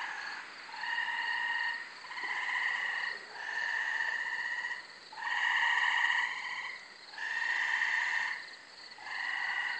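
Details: Multiple gray treefrogs heard at night in a brushy undeveloped corner lot in Carolina, Rhode Island, May 24: regular resonant pulsed trills about a second long, repeated roughly every one and a half seconds, slightly more distant.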